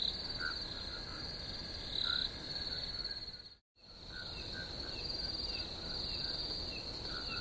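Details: Continuous shrill cricket chirping with a brief louder pulsed burst, a sudden short silent gap midway, then the high trilling chorus resumes with scattered softer lower chirps.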